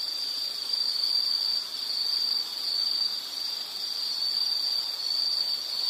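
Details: Insects trilling in a high continuous chorus with faint pulsing, their loudness rising and dipping in slow waves, with no other creatures heard.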